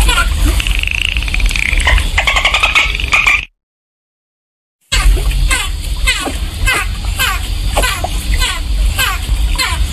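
Dolphin whistles sweep up and down over rapid trains of clicks, with a low underwater rumble.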